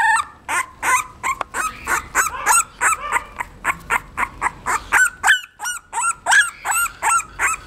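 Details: Seventeen-day-old female English bulldog pup giving a steady series of sharp, bent squeals, roughly three per second, with one short silent gap before the cries continue.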